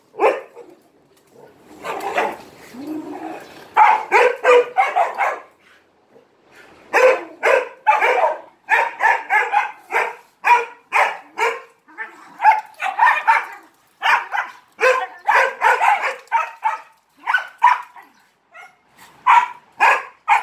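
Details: Attention-seeking dog at play with three Malinois, barking almost nonstop: dense runs of sharp barks separated by brief pauses, a few softer yips mixed in.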